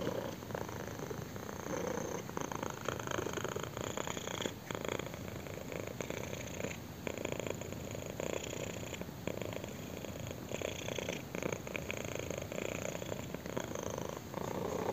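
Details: Continuous purring from a kitten enjoying a chin scratch, a dense, even rumble that swells and dips in rhythmic breath cycles of roughly one to two seconds, quiet indoor background.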